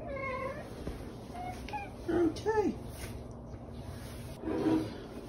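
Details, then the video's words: A pet cat called Dakota meows in a quiet room, a string of short wavering calls that sound like "okay", two close together in the middle and a last one after a pause. "Talking Cat Says Ok"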